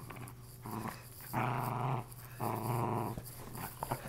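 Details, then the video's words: Female Lakeland Terrier indoors, playing with the remains of her stuffed toy, gives two sustained rough growls of about half a second to a second each, separated by a short pause, over a steady low hum. "Lakeland terrier playing with what’s left of her stuffed animal"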